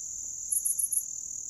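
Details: Grass insects. A thin, unbroken, high trill from grass insects runs throughout. Midway through, four short, sharper chirps pulse above it in quick succession, then fade, leaving the steady buzz.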